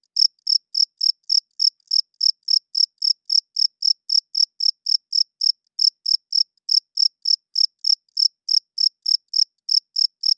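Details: Shrill, evenly repeated chirps of a cricket calling loudly at night, close to four per second with a couple of tiny gaps, against complete background silence.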